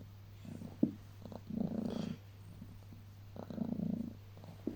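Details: Heliana the house cat purring while cuddled on waking in the early morning: a close, rhythmic rumble that swells with each breath in two long waves, separated by quieter in-breaths.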